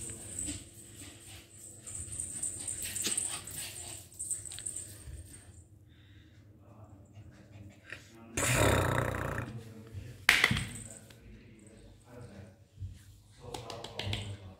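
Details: Pomeranian named Sweety in a playful, mischievous mood: low rumbling growls run through most of the clip, broken by two loud, sharp bark-like bursts near the middle, with soft human voices in the background.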